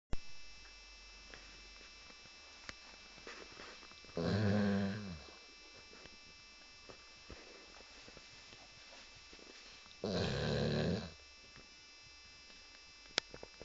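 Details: Pet Labrador Retriever asleep indoors, snoring loudly like a pneumatic drill: two long, rough, rumbling breaths about six seconds apart, each a low buzzy snore lasting around a second, with quiet room hiss between them.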